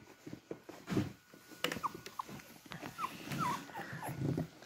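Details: Beagle puppies in a litter taking their first real steps, walking on four legs toward their mother to reach her food; several short, high whimpering squeaks that slide downward, mixed with shuffling, scratching movement noises.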